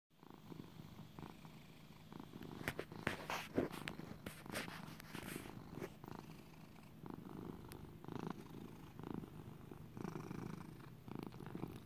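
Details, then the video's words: Pet cat called Little buddy, raised as a lap cat, purring contentedly indoors; a low continuous rumbling purr with rhythmic pulsing bursts, louder in the middle stretch, in a quiet small room. "Little buddy purring in 4k video. He was raised as a lap cat."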